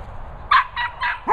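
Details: Border Terrier named Nala, called noisy, meeting two Cocker Spaniels, Finlay and Murphy: a quick run of four sharp, bright barks spaced about a quarter second apart, the last one starting with a rising yelp.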